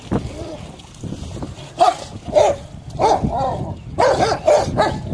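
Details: Rottweilers playing in water give a run of short, loud, harmonic barks, singly and in quick pairs and threes, mostly in the second half, over a background of splashing and low rumble.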